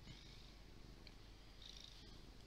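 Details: A big, fluffy domestic cat purring, recorded on a Windows Phone 8X; a soft, steady low rumble runs throughout with faint hiss above.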